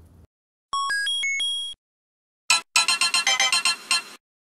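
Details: A stepped electronic ringtone melody of pure beeping tones, followed by a rapid series of harsh, buzzy electronic bursts, with no animal voice.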